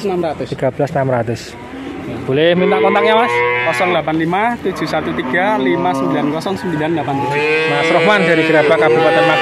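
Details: Male calves, nineteen bought at once, at a cattle market in Grabag, Magelang regency, Indonesia; loud overlapping moos with rising, bending tones follow one another after a quieter opening, with human voices in the background.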